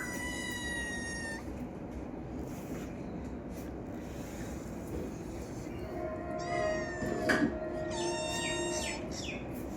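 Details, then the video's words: Domestic cat meowing: a drawn-out harmonic meow at the start, then a quiet stretch and a cluster of shorter, wavering meows in the last four seconds, over a steady background hum. "cat funny sound"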